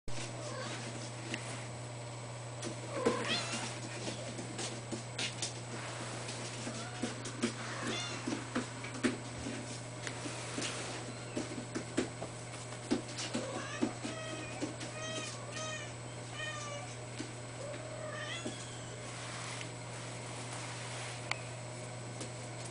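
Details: Female Ragdoll cat, blue point mitted, giving soft, fairly high meows, several in quick short series near the middle and again toward the end, over a steady low electrical hum with scattered clicks and knocks.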